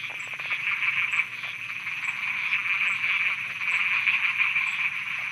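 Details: Nighttime frog chorus in Thailand, unbroken overlapping buzzy croaks at an even level, with short clicking bursts and a faint high ticking underneath.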